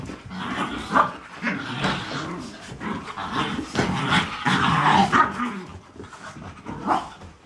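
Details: New puppies playing, a mix of low rumbling growls and short yipping barks coming in rough bursts several times a second, with scuffling movement throughout.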